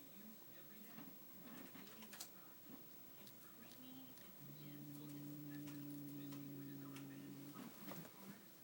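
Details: Domestic cat Rex gives a strange noise after seeing new cat Steve: a sustained low, even-pitched moan of about three seconds, following muffled speech and small taps in a room.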